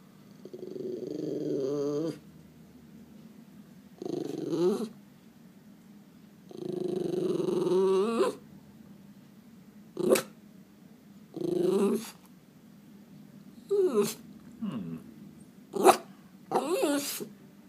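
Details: Miniature Schnauzer, stressed after spotting a cat, voicing low harmonic whines and grumbling moans in about eight bouts, longer drawn-out ones early, then shorter sharp whimpers and squeaky yelps toward the end, with quiet pauses between.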